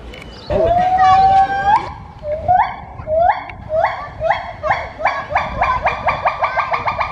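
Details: At Novosibirsk Zoo on 2 July 2020, gibbon Lola, housed with Matai, sings: a sustained, upward-sliding hoot, then a quickening run of short, rising, clear, musical whoops.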